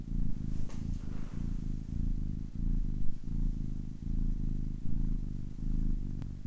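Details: Kitten of ten weeks purring closely, a low buzzing rumble pulsing evenly with its breathing, one brief faint click early on and a tiny tick at the close.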